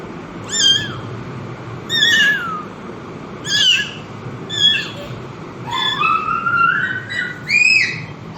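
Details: Mother cat with her kittens: a series of short, high, harmonic-rich mews about every one to two seconds, with a longer rising meow near the end; faint steady background hiss.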